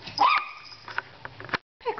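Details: Pet dog Pixie gives one sharp, high yip that slides upward and rings briefly, barking because the cat ignores her; soft taps follow inside a small room, then a brief silence.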